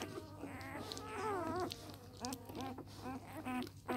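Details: Newborn Samoyed puppies, three days old, from an A litter, whimpering indoors with thin, wavering squeaks that rise and fall in quick overlapping bursts over a low steady hum.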